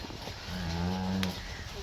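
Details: Friesian cross cow offered for sale in Pakistan, recorded 22 June 2024; a single low, steady moo lasting under a second with a rich buzzy tone, bracketed by faint background noise and a brief click near its end.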